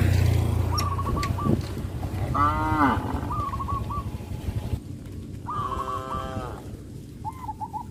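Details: Cows led to rice fields after the harvest on a traditional village farm. Two mid-length moos with falling endings sound about three seconds apart. Trilled bird chirps repeat throughout over a low rumbling background.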